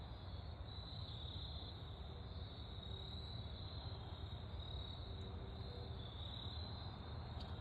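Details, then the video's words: Autumn crickets in woodland during golden hour sun, their sustained shrill trill running unbroken at a single high pitch, with a heavy low background rumble underneath. "Autumn crickets chirping in the woods during golden hour sun"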